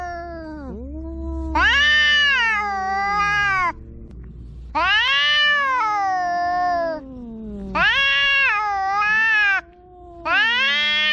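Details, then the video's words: Cat making a big noise: long, loud, wavering meows with rich harmonics, each lasting about two seconds, four in a row separated by short pauses, with low background hum. "The cat is making a big noise"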